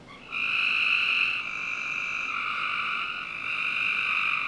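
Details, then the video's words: Frogs at night in a Northern Virginia backyard in summer, with a near-continuous buzzing trill from several overlapping callers that starts abruptly and holds steady. "Frog Night 1"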